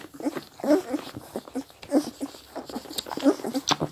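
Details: Four-week-old Scottish Deerhound puppies drinking give soft, high whimpers and squeaks in short, irregular bursts.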